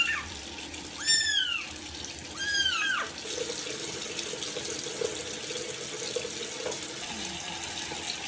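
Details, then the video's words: Young kittens during a first bath let out three quick, arching mews in the first three seconds, after which only running water from a tap and splashing continue. "مواء القطط الصغيرة مع أول حمام لهم"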